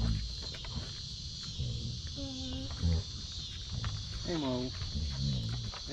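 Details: Basset Hound Mo on a deck, playing with his sisters as a way of saying hello. He gives two drawn-out, mid-pitched whining moans that bend up and down, among low grumbles and scuffling.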